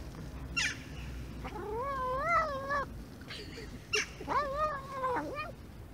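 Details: Domestic cat talking nonstop while eating: two long, wavering, harmonic meows, each about a second and a half, bending up and down in pitch, with short clicky chewing sounds between them over a low steady hum.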